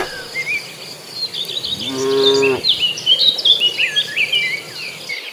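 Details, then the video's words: Cattle herd of several dozen moving to green grassland; a single short moo near the middle stands out against busy, high-pitched bird chirping and twittering that fills the rest. "Suara sapi lucu riang gembira"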